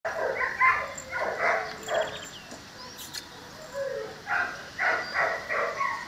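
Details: An 11-week-old female Cane Corso puppy gives a run of high whining, yelping calls in short bursts, with quieter gaps between them.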